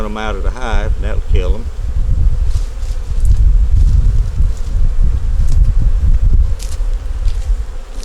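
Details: Honey bees in a nuc colony during a winter hive inspection, with a yellow queen, eggs and brood in the top; a brief human voice opens, then a low, steady rumbling hum of the colony fills the rest.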